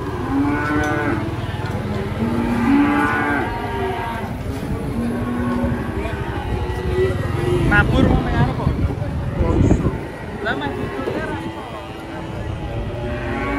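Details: Cattle lowing while being loaded onto a truck: deep, rich moos early on, then rumbling, clattering movement and lower, quieter calls later, with steady background noise throughout.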